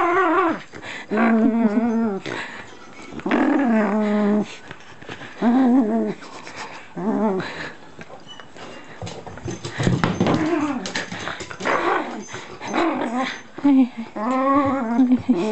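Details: Playful Shiba Inu indoors, gripping a strip of packing tape in its mouth; long moaning growl-whines with clear harmonics come in bursts every couple of seconds, with a person talking between them.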